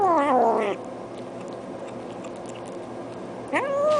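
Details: Domestic cat uttering odd sounds while eating indoors: a short descending wail at the start, a long quiet gap, then a sharply rising call that levels off as the clip ends.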